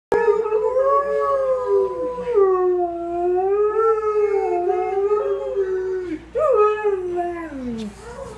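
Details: Borzoi dog singing and howling indoors: one long, wavering howl that slides up and down in pitch, rich in harmonics, then a brief break and a rising yelp that drops into a falling tail.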